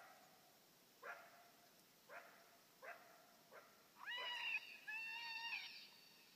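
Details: Coyote answering a Fox Pro electronic caller: four evenly spaced sharp barks about a second apart, then a rising, wavering howl breaking into quavering yips and a second drawn-out howl.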